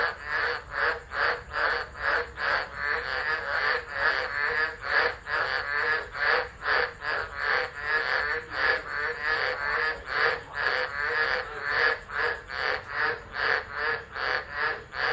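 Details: Tropical frog chorus in stormy weather at Driver, Northern Territory, Australia, December 2013, phone camera left running; loud grating croaks repeated quickly and rhythmically, many voices overlapping, intensity rising and falling.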